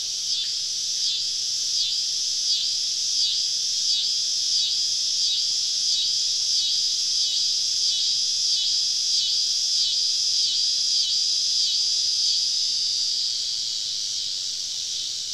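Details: Summer evening cicada chorus, recorded while camping deep in southern woods with the insects all around. A high, steady drone throbs in quick regular pulses, about three or four a second, easing slightly near the end.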